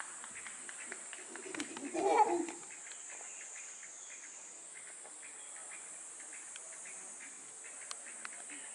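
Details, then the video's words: Max, a chimpanzee at Tama Zoological Park in Hino City, Tokyo, Japan, gives a short, loud, harsh alarm call in response to a bird's call. The single burst lasts about half a second, over steady high insect hiss and faint clicks. "Chimpanzee Max gives an alarm call at Tama Zoo"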